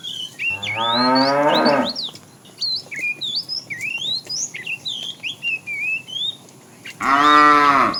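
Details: Tame cows from a herd walking neatly along a road looking for food; a drawn-out harmonic moo opens, then busy chirping birds fill a pause before a second loud moo at the end.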